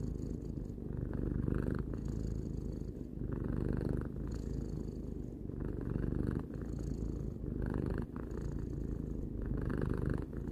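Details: Three-year-old pet cat Tarou purring contentedly: a low vibrating drone pulsing with inhale and exhale about every one to two seconds, quiet surroundings.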